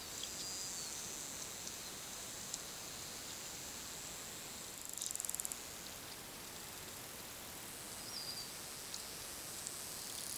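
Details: Wild bottlenose dolphins communicating underwater: a short burst of rapid clicks midway, with faint high whistles near the start and end, over a constant crackling hiss of underwater background noise.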